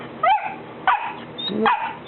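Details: Three-month-old Golden Retriever puppy, afraid to come down one step, stands there barking at its people: three short, high yappy barks about two-thirds of a second apart, with a steady background hum.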